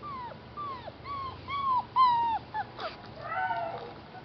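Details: Rescue puppies with their mother at an animal rescue, whining in a run of high, falling whimpers about every half second, clear and close, then a brief scuffle and softer overlapping squeals.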